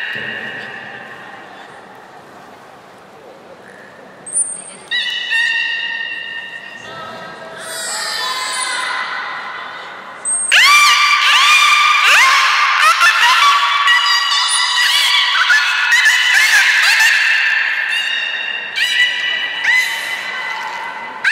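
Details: A captive beluga whale at Port of Nagoya Public Aquarium on 3 May 2019, during gate training before the 11:00 public session, gives bright, wavering whistles and squeaky chirps, then a long run of rapid buzzy pulsed bursts.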